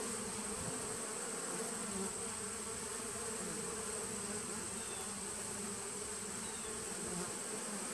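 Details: Steady colony hum from bees in a nuc dating from 2017, recorded 19 September 2018, a dense unbroken drone with slight wavering in its middle tones and a constant faint high whine.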